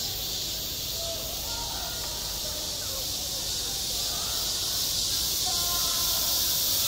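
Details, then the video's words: Summer cicadas calling at a school sports ground: a steady, piercing high hiss throughout, swelling slightly toward the end, with faint gliding tones in the background. "한 여름 운동장에서 매미가 울고 있다 - 여름의 소리, 학교 종소리, 매미 울음소리"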